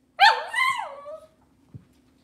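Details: Cavalier King Charles Spaniel puppy from Robin's litter in an indoor kitchen on a cloudy Monday morning, letting out one high, loud whining yelp that rises and then falls over about a second, followed by a soft thump in a quiet room.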